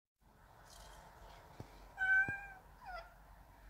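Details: A kitten, one of three young cats at a grandmother's house that sit beside people on the porch, gives a high, thin meow that holds steady, then a shorter falling mew.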